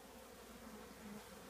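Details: Colony of honey bees housed in an old, very heavy trash can before removal; a dense, droning hum of many wings holds steady with slight wavering swells across the short stretch.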